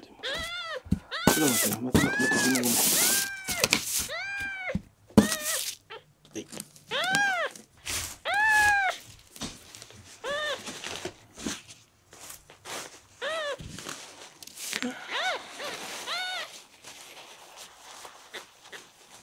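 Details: Dehydrated rescued kitten Miel, a red tabby and white male ten days into care and not drinking milk, cries in a long run of rapid, arching meows, some quick and clipped, over bursts of rustling and scraping that fade toward the end.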